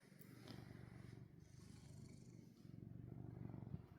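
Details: Pet cat, fond of its owner's hand, purring in a steady low rumble that swells and fades with each breath, roughly every second or so, with faint room noise.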